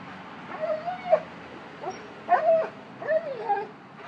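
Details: A one-year-old Cane Corso acting like a baby, giving a series of soft, wavering whines that rise and dip in pitch, with short gaps between the cries, over a faint background hiss.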